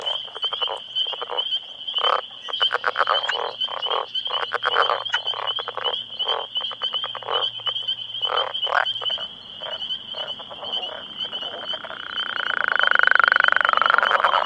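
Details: About ten male Northern Leopard Frogs calling for females in their breeding territory at close range, amid turf wars. Rough, pulsed rattling snores and clucks come in bursts over a steady high-pitched trill from other callers, with a rushing swell near the end.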